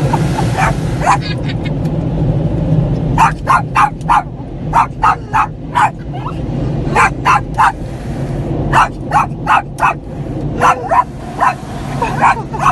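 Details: Skippy, a pet Yorkshire Terrier, barks at night inside a car during his first car wash, playing hero against the machine's noise; sharp yaps come in bursts of two to five over a steady low rumble of car wash machinery.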